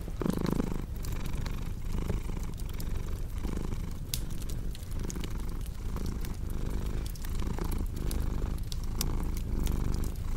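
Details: Rhythmic rumbling purr from a domestic cat, each breath cycle marked by a soft swell of sound, accompanied by intermittent crackles and sharp pops of a cozy fire.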